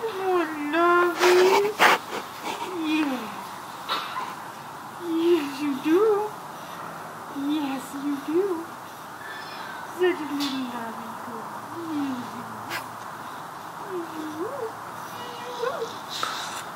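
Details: Bulldogs giving high, nasal whimpering whines that slide up and down, coming in short separate bursts every couple of seconds, with people talking in the background of an indoor room.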